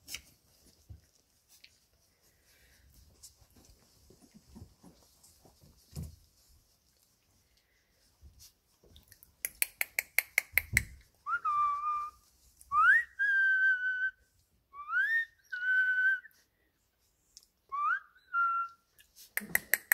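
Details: Labrador Retriever puppy, 17 days old, in the whelping box while the litter plays: after a burst of rapid clicks, a series of clear rising whines, each about a second long and repeated every couple of seconds, in a quiet room.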